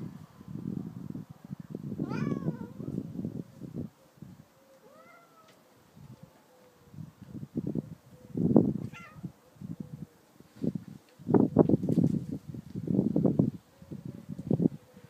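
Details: Bengal cats Simba and Storm, 18 months old, indoors; several drawn-out meows with rising, bending pitch near the start and middle, between loud low bursts of rough, rumbling sound.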